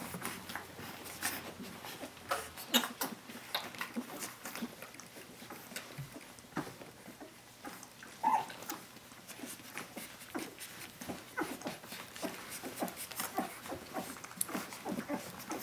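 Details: Seventeen-day-old puppies of the dog Brenda calling for their mother indoors; short, thin whimpers and squeaks come in scattered bursts over steady clicking and rustling from the litter moving about.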